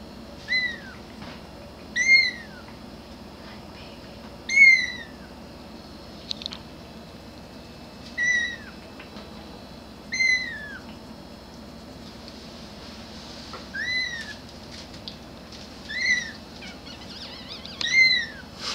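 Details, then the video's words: Grey kitten meowing for its mother: short high arched meows repeated every two seconds or so, each rising then falling, with quiet gaps and faint background hiss between calls. "Cute Kitten Meowing"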